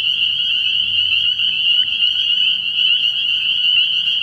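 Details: Massed spring peepers peep together at a nighttime frog pond early in the year, their high piercing notes overlapping into an even, unbroken ringing with little else audible.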